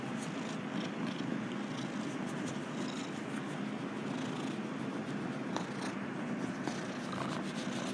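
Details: Rescued stray male domestic cat kept in a basement purring while being rubbed and petted: a steady, low rumbling purr throughout, with soft rustling of hands on fur.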